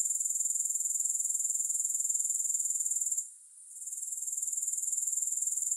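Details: Grasshoppers chirring steadily with no music: a thin, very high buzzing trill pulsing about four times a second, briefly dipping into near silence around the three-second mark before resuming at full strength.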